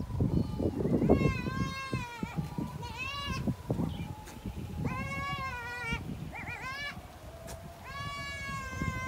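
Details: Mating goat giving loud, strongly quavering bleats about every two seconds, five main calls, each rich and nasal, over a low rumbling, noisy farm background.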